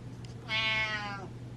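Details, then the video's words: Domestic cat meowing because it feels ignored and wants attention, indoors; one clear drawn-out meow of under a second, steady then slightly falling at the end, over a low electrical hum and a quiet room. "Meowing Cat Feels Ignored"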